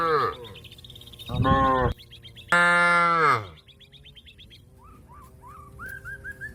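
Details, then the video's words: Cattle calling companions home to the pen with three moos: a short one at the start, another after a pause, then the longest and loudest, falling in pitch. Birds chirp and twitter in between. "suara sapi lembu memanggil kawan untuk pulang kekandang nya"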